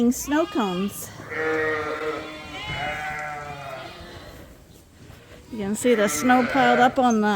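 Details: Suffolk lambs in a barn, groups mixed together after escaping through an open gate; long, steady, drawn-out bleats lasting a few seconds, framed by human speech at the start and end.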